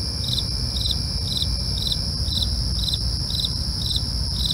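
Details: Night crickets give regular pulsed chirps, roughly two per second, layered over a continuous shrill insect hum and a dull low-frequency rumble.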